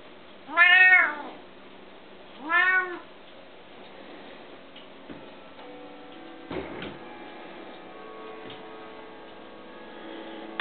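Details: Bengal cats, two kept as pets, with one giving two clear arched meows about two seconds apart, followed by quiet clicks, knocks and a faint tonal hum.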